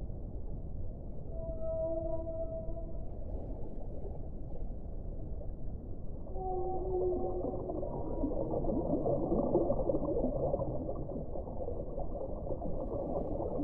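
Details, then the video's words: Whale vocalizing with long, clear tonal moans at several pitches, some overlapping. A second set of higher and lower notes follows midway, above a continuous low rumbling wash. "1 ora di suono delle balene"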